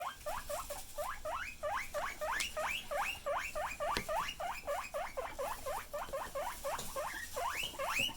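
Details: Guinea pigs, pets, calling loudly: a fast run of rising squealed wheeks, each sweeping upward, repeated about three to four times per second in a steady stream for the whole stretch.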